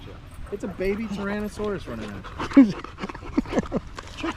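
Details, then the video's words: Staffordshire Bull Terrier with other male dogs on an evening at the park, a 'wolf pack chat': short tonal whining grumbles repeated in quick bursts, followed by a louder bent yelp and scattered softer whines. "Long evening at the park male wolf pack chat"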